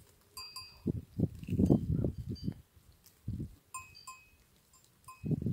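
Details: Goats recorded on 1 September 2024, giving short, rough bleats in a cluster of bursts, then a pause and more bleats near the end, with bright bell tones ringing throughout.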